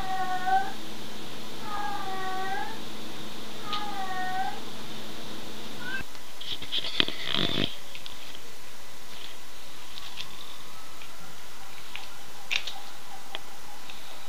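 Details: Pet cat named Bebe, filmed while playing, utters three drawn-out, arching meows roughly every two seconds, followed by clattering and rustling handling noises.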